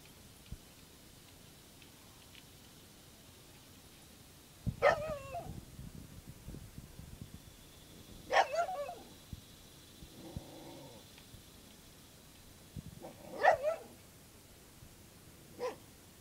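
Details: Dog barks at a cicada shell, single sharp barks spaced several seconds apart, with scuffling between, a brief whine midway, and a last short bark.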